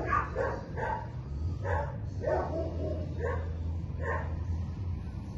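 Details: A Belgian Malinois in week one of a board-and-train programme gives repeated short barks, roughly seven in five seconds, spaced irregularly, with a constant low droning hum underneath.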